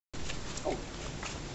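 A koala gives a low, rough, grunting call with a snoring, pig-like quality.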